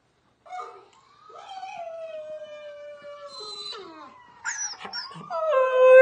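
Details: A female Siberian husky reacting to a howling video gives a long, sliding howl that holds steady and then drops, followed by yips and whines.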